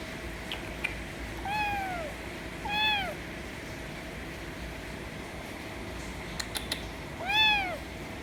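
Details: ['Loud meows from a white kitten demanding affection: two arched meows in quick succession, a pause with faint ticks, then one more clear meow near the end, over a low steady hum.']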